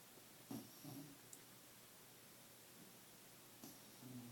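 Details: A sleeping Scottish Terrier snores indoors: short, low, rumbling breaths near the start, a quiet gap, then another snore rising at the end, with faint room noise between.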